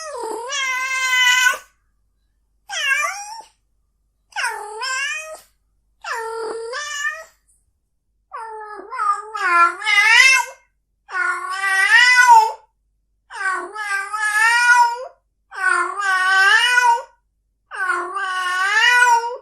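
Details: Cat calls meant to make a cat want to mate: a run of about nine drawn, wavering meows with rising-then-falling yowling tones, each lasting about one to two seconds, separated by short silences, in a quiet setting.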